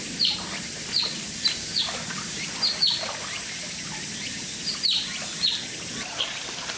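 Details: An Oriental short-clawed otter at Chiba Zoological Park gives about nine sharp, high squeaky chirps at an uneven pace over a faint steady hiss.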